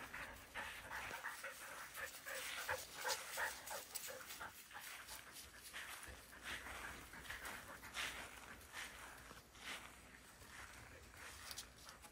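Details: Excitable Border Collie Bly, prone to excitement seizures, panting in the afternoon while appearing more settled than earlier that day; rapid breathy huffs, roughly three per second, irregular, with some soft whimper-like tones and light room noise.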